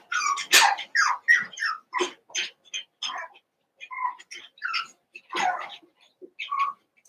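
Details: Cavalier King Charles Spaniel puppies from two litters merged into one group of eight, playing: sharp yelps and high whines crowd together at first, then thin out into separate squeaky cries with short pauses.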